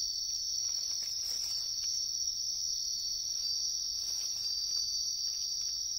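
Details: Wild bell crickets in riverside woodland, heard during an insect-collecting search: a steady, shrill, high-pitched ringing trill that runs without a break, with faint rustling beneath.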